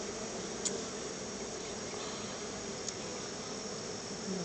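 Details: Crowds of honey bees gather at their hive for a gift of honey; a continuous low humming drone fills the moment, with two soft clicks and a slight swell in loudness near the end.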